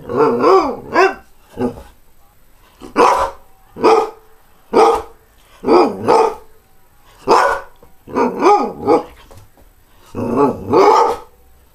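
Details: Greyhound barking in a steady, insistent run of about fourteen harmonic barks, many delivered in quick pairs, each with a slight rise and fall in pitch.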